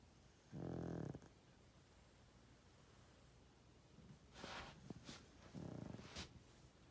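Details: Loud snoring from a sleeping pug aged 12.5 years: two throaty, rattling snores about five seconds apart, with some brief rustling noises between them over a constant low hum.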